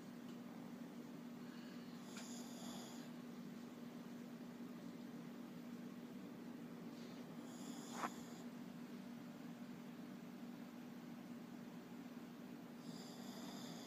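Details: Sleeping Shih Tzu snores with short high whistling wheezes at roughly five-second intervals, one with a sharp click, while a low steady hum runs underneath.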